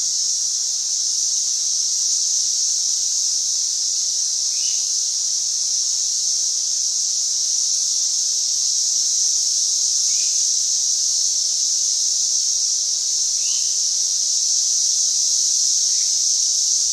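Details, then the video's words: A group of 13-year periodical cicadas at a campsite in Gunter Hill Park, Montgomery, Alabama, sing loudly in a dense chorus: a steady, high, hissing drone that never lets up. "Cicada Chorus"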